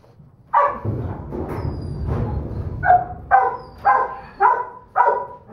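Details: A female Doberman Pinscher pup, smallest in the litter, gives a string of sharp, tonal yaps roughly every half second after a muffled low background, the later barks clearer and more ringing.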